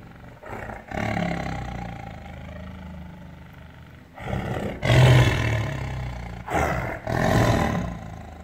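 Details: Tiger roaring: a quiet low rumble, then three loud, rough, broadband roars in close succession toward the end.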